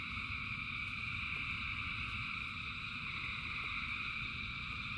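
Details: Frogs calling in the rain, massed into a continuous droning trill with stacked high tones holding level, while rain patters as a steady low rumble with occasional sharp drops.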